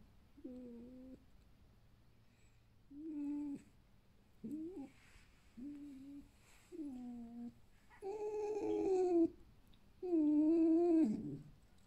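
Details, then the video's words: Alf, a pet male red fox of the fiery-furred ognevka type bought from a fur farm, gives a lazy evening ururu indoors: six soft, tonal, slightly wavering murmurs spaced one to two seconds apart, the last two louder and longer. "Лис Альф. Ленивое вечернее уруру"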